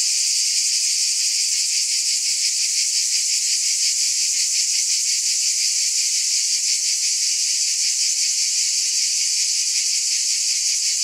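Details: Cicadas in a dense, unbroken buzzing chorus, a high hissing drone with a faint quick pulsing running through it and no pauses; no other animals, voices or music.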